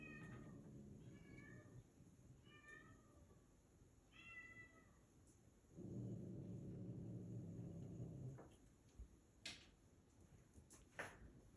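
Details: Meowing from a cat with kittens: four short, high meows about 1.3 seconds apart open the passage. Then comes a loud low rumbling stretch of nearly three seconds, followed by scattered sharp clicks and taps.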